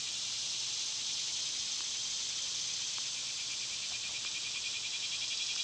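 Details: Summer cicadas in full chorus: a steady, dense, hissing drone held high and unbroken throughout, with a faint rhythmic pulsing and a few soft ticks from other small sounds.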